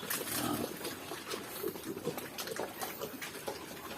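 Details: Two-week-old native piglets on a farm, being fed: brief, thin squeaks and grunts scattered unevenly through the clip, heard over a steady hissing, trickling background.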